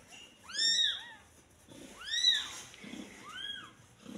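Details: Kitten born the day before mewing loudly: three strong, high arched cries, the first with a short tail note, separated by brief pauses, with soft rustling between them.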